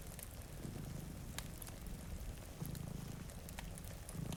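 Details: A soft, low purr from two cats dozing in front of a rainy window rises and fades in short bursts amid rain hiss and occasional fireplace pops.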